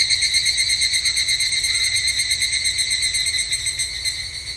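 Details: Summer temple grounds in Japan with an evening cicada (higurashi): a bright, high, buzzing trill pulsing several times a second, holding steady and tapering slightly at the close.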